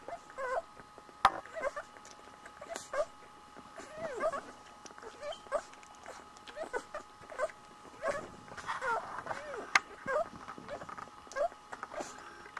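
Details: One-week-old Border Collie puppies nursing, giving short, high, bending squeaks and whimpers scattered irregularly through the clip, with a steady faint hum behind them.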